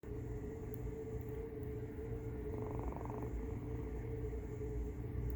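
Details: Domestic cat giving a noisy snore-purr while another cat watches indoors: a steady low rattling rumble broken by short breath pauses, with a constant faint hum; a person speaks briefly afterward.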